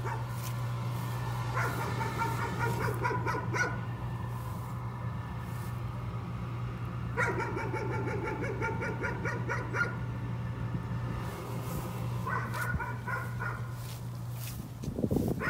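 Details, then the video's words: Nuisance barking from a dog: bursts of rapid, harmonic barks around 2, 7 and 12 seconds over a steady low electrical hum. "Nuisance barking again."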